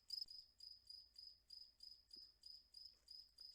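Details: A single cricket played at normal speed gives high, thin, pulsing chirps in a steady run of about three each second, and the clip is otherwise quiet.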